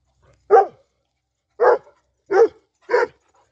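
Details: Kangal dog barking while the dogs come back when called: four deep, short barks, a lone one, a gap of about a second, then three closer together, with quiet between them.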